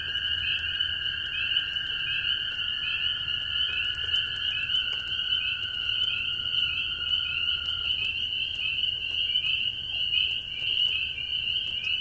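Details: Many small spring peepers clinging to an old barn shovel call in a thick chorus of high, slightly rising peeps blending into shrill ringing, with toads trilling and light rain pattering on fence and roofs.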